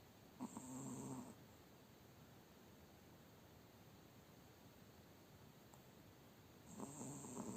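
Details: Spitz dog asleep after a hard day, snoring softly: two short, low, rasping snores about six seconds apart over steady quiet room hiss.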